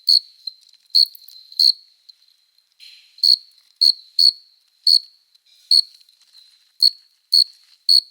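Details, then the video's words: Summer-night cricket chorus, males stridulating their forewings in courtship: about eleven high, metallic chirps at an irregular pace, some in close pairs, with a brief softer buzzing sound midway. "Som de GRILO cantando | CRI CRI CRI (Cricket Singing)"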